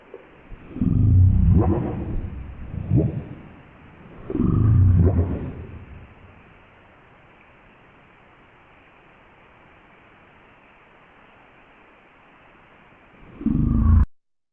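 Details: Deep, rumbling blue whale moans come in slow, separate pulses, with a last low burst at the end; these very deep sounds travel far, letting solitary, widely spread whales communicate with others of their species.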